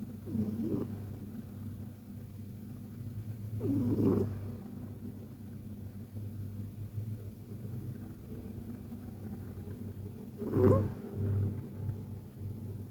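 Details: Persian cat named KTO snoring softly while asleep: a steady low rumble throughout, broken by three louder breathy snorts spaced several seconds apart.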